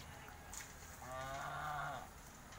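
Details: Holstein Friesian cow at a dairy farm, offered for sale and due for her second calving, gives one low, steady moo lasting about a second over quiet background noise.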